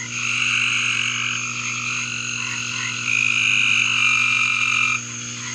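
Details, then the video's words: Backyard frogs forming a thick, unbroken chorus of buzzy trilling calls at several high pitches, growing louder for about two seconds near the end before dropping back, with a constant low hum underneath. "2 Minutes of Frog Audio!"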